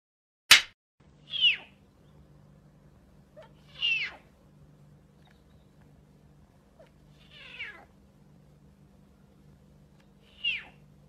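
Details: At Perm Zoo, a snow leopard gives high, cat-like mews, each a brief wavering cry, about every three seconds.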